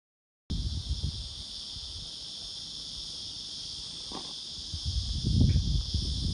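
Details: A black prince cicada (Psaltoda plaga) calls with a steady, high, unbroken buzzing drone over low rumbling noise.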